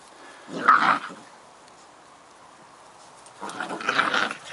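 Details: Two Scottish Terrier pups, Bonnie and Basil, having fun together in play: two short bursts of rough, throaty growling about three seconds apart, with quiet pauses between.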